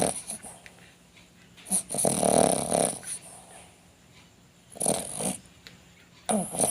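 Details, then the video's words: Sleeping dog snoring in loud rasping breaths, a long throaty snore around the second mark followed by quieter gaps and further snores near five and six seconds. "snoring dog"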